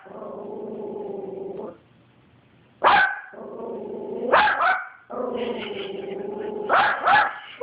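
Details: A Yorkshire Terrier, on seeing another dog, gives drawn-out, rumbling growls broken by sharp, high barks.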